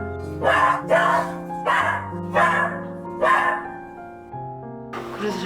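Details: Female Golden Retriever barking loudly and unusually beside her little brother during his sudden seizure, alerting the owner to the emergency; five harsh, broadband barks at irregular half-second to one-second intervals over soft background music, a voice starting at the end.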